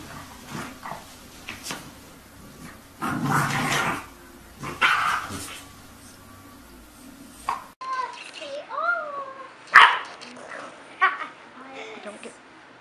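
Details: Domestic dog in an indoor room: after muffled thumps and voices, a run of high, bending whines and yips rises and falls, broken by one loud sharp bark.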